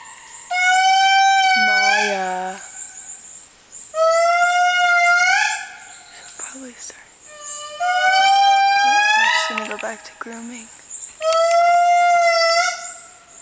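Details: The matriarch of an indri family sings in Analamazaotra Special Reserve, Andasibe, Madagascar, in long, eerie wailing notes that swell and slide, repeated in bursts every few seconds.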